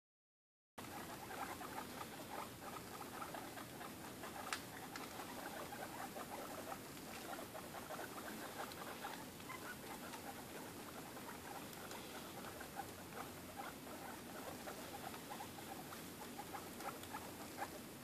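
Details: Guinea pigs two and a half weeks old having dinner: steady soft rustling and crunchy patter of chewing and moving about, with scattered sharp clicks throughout, quiet and continuous.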